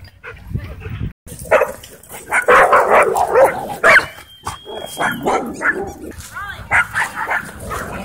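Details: Dogs in wild play at a dog park, giving rapid, uneven bursts of high yips and barks, with a steady whistled tone in the middle and people talking nearby.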